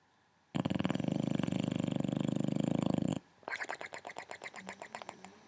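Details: Lucky, also called Loki, a male Boxer rescue dog in foster care, snoring in the dark: a long, steady rumbling snore, a short pause, then a rougher series of quick pulsing breaths.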